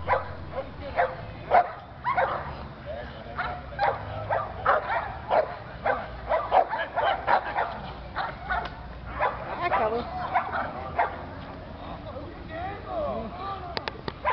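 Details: An American Pit Bull Terrier barks in sharp, repeated bursts while being provoked by a man acting as agitator, whose voice shouts over it.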